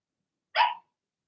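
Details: Single bright, high-pitched bark from a Cavalier King Charles Spaniel puppy in a Blenheim litter of six, two girls and four boys, born in March and kept in an indoor puppy pen; short and sharp, with silence around it.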